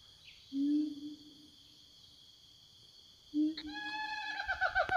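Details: Forest siamangs calling back and forth to their companions: a low, drawn-out hoot, a pause, another hoot, then a quickening series of ringing, downward-inflected notes, with a constant insect hum behind.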